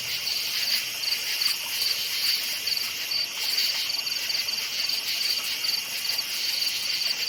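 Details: Crickets chirping at night in a forest: a steady high pulsing trill, short bursts repeated a few times per second over a dense buzzing chorus of other insects.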